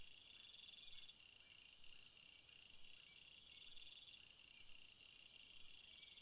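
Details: Crickets heard in a natural field setting: a dense, steady high-pitched chorus of several layered tones, with brief pulsed trills rising out of it at irregular intervals, about once a second.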